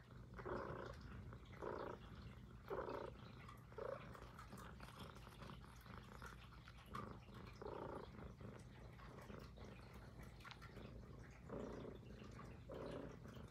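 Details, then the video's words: Close indoor recording of Puff, a Highland Lynx cat, purring: continuous low throaty drone with rhythmic breath-linked surges about once a second, pausing briefly midway before resuming, no other sounds. "Who’s the Cutest l ASMR l Highland Lynx Cat"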